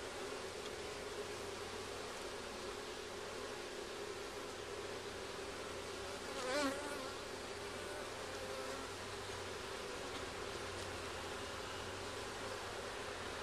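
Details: Continuous droning hum of many honey bees at their hive during a first hive check, with comb found. One bee sweeps close past midway in a brief, louder wavering buzz.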